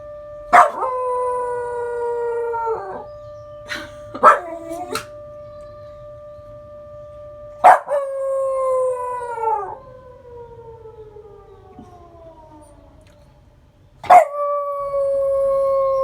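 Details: Responding to the Memorial Day siren, Rungji, a male long-legged Welsh Corgi, lets out long sustained howls that slide gradually downward, with short yelps in between, while the siren drones steadily in the background.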